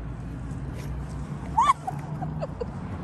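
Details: Hungry stray tabby cat being fed on the street, rubbing against the feeder's legs: one short meow rising then falling, with softer faint calls after it over a low steady background rumble.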